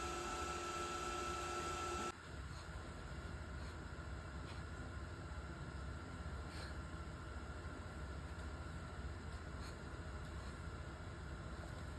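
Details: A steady mechanical hum and rattle runs throughout, loud at first then slightly quieter after two seconds, with no animal voice.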